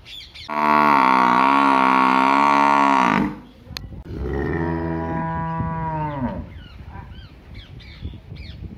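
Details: Cow in a village lowing twice: a powerful flat moo of around two and a half seconds, then a quieter, lower call that sags in pitch as it fades; faint rustling afterward.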